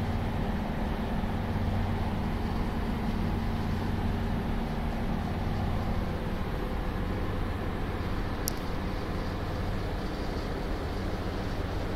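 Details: Steady, dense rumble of passing vehicles fills the whole stretch, with one brief sharp click partway through and no animal voice.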